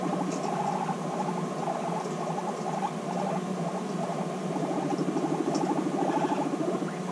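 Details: Reunited female guinea pigs bonding after six months of separation; a pulsing low rumble repeats quickly and steadily, overlaid by faint chattering and rustling.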